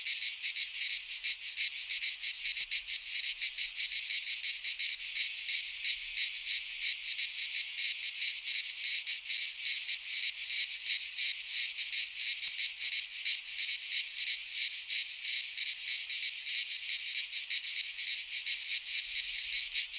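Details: Cicadas in full song during midsummer among Greek pines, a sustained piercing buzz with fast rhythmic pulsations near three per second, steady and loud from start to finish, no competing sounds.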